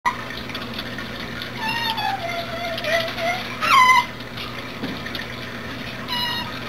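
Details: A captive Asian small-clawed otter chatters constantly while begging for and eating cat food, giving high squeaky chirps: a long falling whine, then sharp rising-falling squeals, over a hum of running water.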